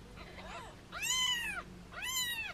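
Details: Held in hands, foster kittens meow playfully: a faint short cry, then two loud, high, bright arching calls about a second apart, rich in overtones, in a quiet room.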